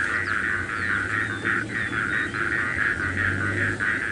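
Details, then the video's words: Small frogs call in a steady chorus of mid-pitched, pulsing notes about once a second near a rain puddle at about 5 AM on a sunrise safari drive, Masai Mara, 7 February 2018, after overnight rain. "now I'm just going to keep quiet so you can hear the frogs as well"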